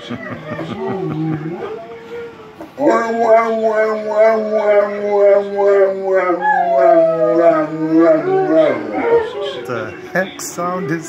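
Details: Cane Corsos at home howling as a group, a reaction to sirens; a brief opening of mixed voices and a pause, then a long chorus of sustained howls with a steady low bass line and higher quavering notes.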